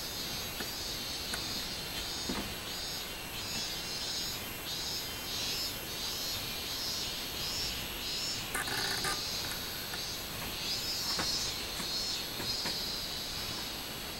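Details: Robust cicada song recorded 24 July 2016, a shrill droning buzz that throbs in regular beats about one and a half times per second, with a brief louder burst of noise near the middle.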